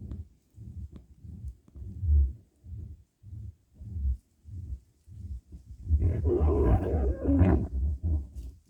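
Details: Badger in a fight, giving deep rhythmic growling grunts about three per second. From the sixth second they turn into louder, harsher and more continuous snarling.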